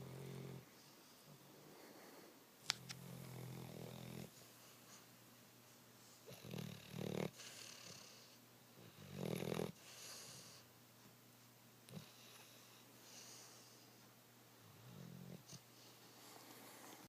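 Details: Pet dog Zurich sleeping on a couch: irregular, throaty snores and wheezy breaths, some short and some longer, separated by quiet pauses, with a few soft clicks and rustles in the room.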